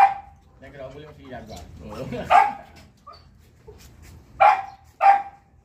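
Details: Pomeranian dog downstairs lets out three sharp yaps spread over several seconds, mixed with human voices talking in the background between barks.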